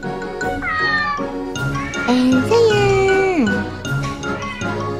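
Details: Domestic cat making unusual sounds that are not chattering; a drawn-out meow rises, holds, then slides sharply downward, over steady background music.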